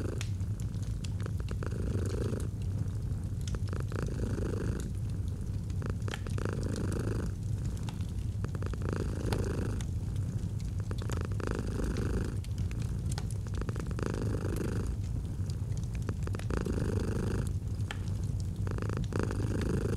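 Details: Long stretch of a domestic cat's gentle purr with a crackling fireplace, autumn ambience; the low, even rumble rises and falls with regular breaths about every two and a half seconds, and wood pops scatter throughout.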